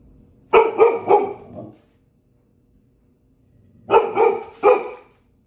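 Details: Five-month-old female Golden Retriever, happy at seeing her sister again after a week apart, gives two bursts of three quick, loud barks each, separated by about two seconds of silence, in a quiet room.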